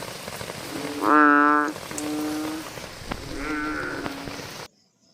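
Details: American bullfrog giving deep, droning, resonant calls, three in a row, at night over a steady hiss of night noise.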